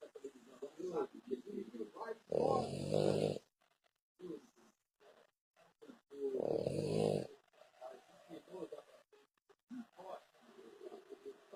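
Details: Sleeping French Bulldog giving two long, harsh snores about four seconds apart, the gaps filled with quiet human voices murmuring in a small room.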